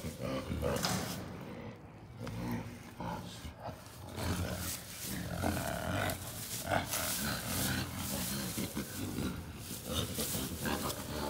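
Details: Two captive western lowland gorillas at play in a zoo ape house, wrestling and laughing with low, breathy, staccato huffs, uneven bursts of throaty pulses mixed with rustling and thumping.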